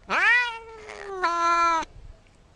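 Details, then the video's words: Cat meowing twice: a rising, bright first call, a brief breathy gap, then a second steady, slightly falling meow that stops abruptly. "very funny cat meows"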